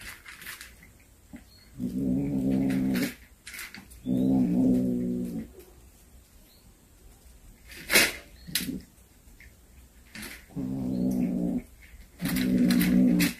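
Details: A cat that has brought home a hunted snake gives four low, rich, moaning yowls indoors. Each lasts about a second and comes in a steady rhythm with short pauses. Sharp knocks and rustling noises fall between the calls.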